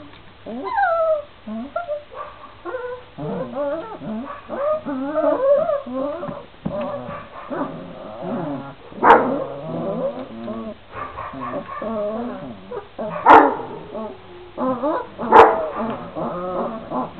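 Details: A litter of 26-day-old Šarplaninac puppies, three males and five females, whimpering and yipping almost continuously with wavering, rising and falling whines from several pups at once. Three louder, sharp barks cut through near the middle and end.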